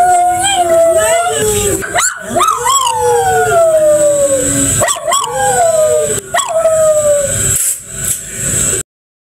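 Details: A toy poodle that likes to sing howls along: sustained wavering notes falling slowly in pitch, interrupted by quick rising yips and brief pauses, ending abruptly in silence.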